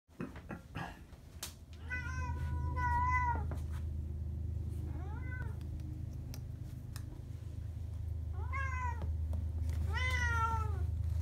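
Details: Two tabby cats indoors while healthy meals are prepared for them; several drawn-out, wavering meows, some rising then falling, separated by pauses, over a steady low mechanical hum and a few kitchen clicks.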